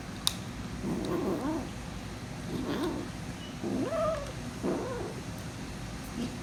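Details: Hungry kitten guarding her food while eating makes a run of low, short muttering calls, some rising into brief wavering meows, spaced about a second apart over low background hum.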